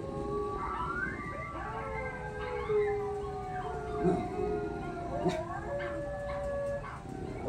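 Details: Pups respond to a howl challenge. Soft, sustained howls from several voices overlap and glide gently, with a faint yip near the end.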